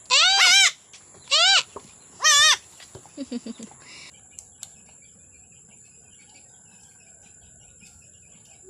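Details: Goat on a farm around the time of giving birth; three high, quavering bleats in the first two and a half seconds, each wavering up and down, then a few short, softer pulsed sounds and near quiet.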